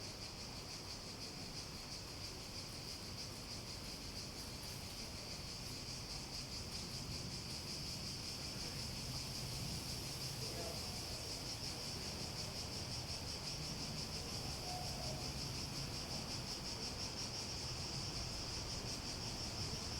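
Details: Unbroken cicada drone, a bright sustained buzz with a light pulsing flutter that grows a little stronger toward the end, over steady low background noise.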